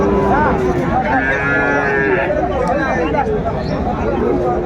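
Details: Cattle lowing at the opening of Aftabganj market in Dinajpur, Bangladesh, on 1 July 2025, where Sahiwal bull calves are traded. A drawn-out harmonic moo rises in the middle, half-buried under men bargaining loudly nearby.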